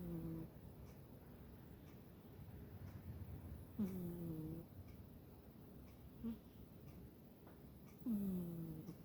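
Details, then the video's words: Sleeping pet cat snoring indoors: soft nasal snores with a slightly falling, tonal edge recur roughly every four seconds, separated by quiet breathing in a still room. "cat snoring"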